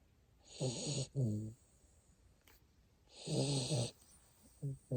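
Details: Sleeping Siberian Husky puppy in Japan snoring indoors: two drawn-out, buzzy, tonal snores about a second each, separated by a quiet pause, then short snuffling snorts at the end.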